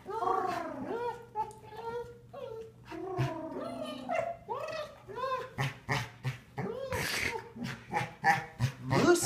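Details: A female Golden Retriever, recently injured with severed tendons, sings a greeting to an old friend in rising and falling, yodel-like whines and howls, with a person talking.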